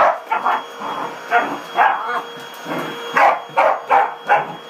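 A corgi barks in quick, uneven bursts over the steady hum of a vacuum cleaner.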